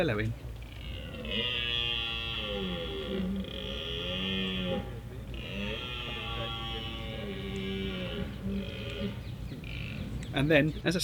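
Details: Rutting red stag bellowing in woodland at Richmond Park after thrashing around in bracken: a series of long, low, groaning roars, each several seconds, rising then dipping in pitch, repeated with short breaks, ending with some sharp clicking noises.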